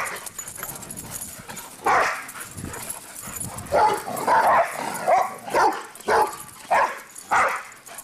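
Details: Running around and barking, the dogs Cinder and Zoe let out a steady series of sharp barks, roughly one every half second, after a quieter opening with rustling.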